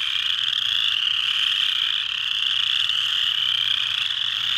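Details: Chorus frogs (Pseudacris) at Mud Hen Marsh, Delaware County, Ohio, USA, on 12 March 2020, calling together in a dense, steady, high-pitched trilling chorus.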